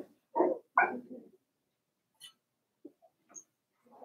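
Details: In a puppy pen, Cavalier King Charles Spaniel pups four weeks old let out two quick, fairly low yappy barks, then a few faint squeaks and small noises fade into near silence.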